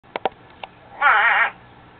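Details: Captive spadefoot toad giving its natural mating call, rarely heard from it: a single nasal, bleating croak of about half a second with a quavering, wavering tone, preceded by a few faint clicks.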